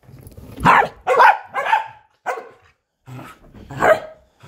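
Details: Corgi playing fetch, giving a series of loud, harsh barks about half a second apart, some with a rough, growly edge, over low background rumble and handling noise.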